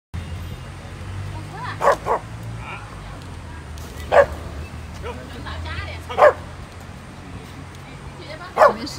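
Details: Stray Chow Chow puppy being brought dog food, giving four short sharp barks spaced about two seconds apart, amid a low hum and people talking in Chinese.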